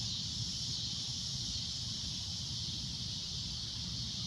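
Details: A sunset chorus of cicadas: a continuous, piercing high-pitched drone, even in loudness, above a soft low rumble.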